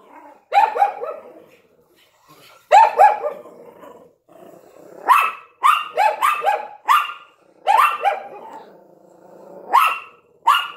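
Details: Barking bouts from a Yorkshire Terrier beside a Lhasa Apso at the window: repeated clusters of high, sharp yaps, several in quick succession, separated by short pauses over a faint steady hum.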